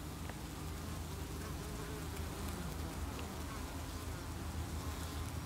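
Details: Honey bees at a hive entrance on 8 August 2018, defending the colony against beewolf wasps (Philanthus triangulum) and carrying an insect away below the landing board; a dense, steady low hum of many wings with no pauses.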